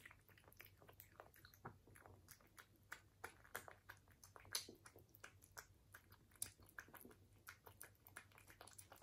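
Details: Indoor ASMR recording of a British Shorthair cat at its food: dense, rapid crunching and chewing clicks continue throughout, with a few sharper bites and a soft constant low hum beneath.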